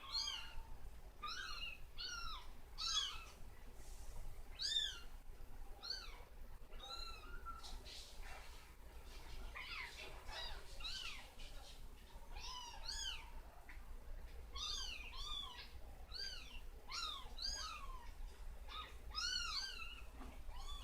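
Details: Several kittens being burped with back pats after drinking formula, giving many short high arched mews, often in quick runs of two or three, fairly steadily over twenty seconds, with soft rustling in between.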